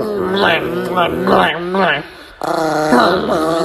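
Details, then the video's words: An angry, aggressive Chihuahua gives rising and falling growling snarls in rapid bursts, mixed with a person talking over it. "The most Angry Chihuahua in the world #1 | Chihuahua angry |aggressive Chihuahua"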